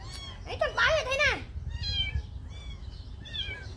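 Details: Hungry tiny white kitten during bottle feeding of milk gives a loud arched meow that rises and falls, followed by fainter, shorter mews, with people talking nearby.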